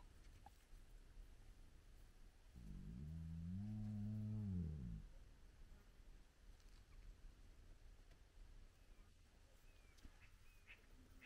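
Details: Spotted hyenas of a big clan around their den with cubs, early morning; one wavering low moan of about two seconds, followed by long quiet with distant bird chirps.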